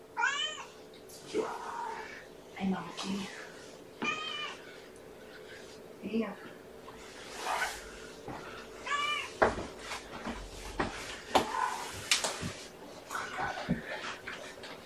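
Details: Domestic kittens, five in a litter born April 14th, with their mother Gamora, indoors at breakfast time; high-pitched rising-and-falling meows come in short bursts, several in quick runs, over clattering, shuffling and some human speech in a small room.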